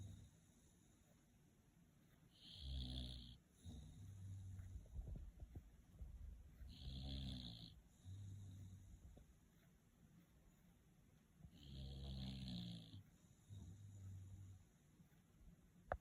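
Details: Sleeping bulldog snoring after a long break, three long rasping snores roughly every four and a half seconds, each with a hissy top, and softer rumbling breaths between them in a quiet room.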